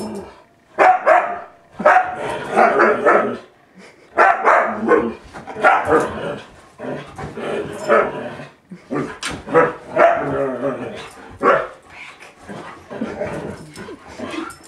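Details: A male Siberian Husky yowls and grumbles in bursts of wavering, talkative howls, apparently reacting to a computer running Windows XP.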